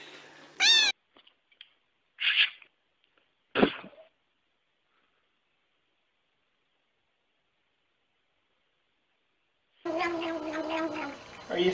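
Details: Domestic cat making brief high squeaky cries and chirps in quick succession, followed by silence, then a burst of harsher, rougher sound at the end.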